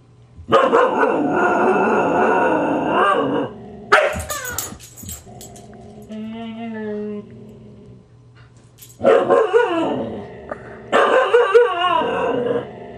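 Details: Husky pair, grouchy Siku snapping while young Loki teases: long sustained snarling growl for three seconds, scuffling snaps, a pitched howl-like whine, then two more extended harsh growls.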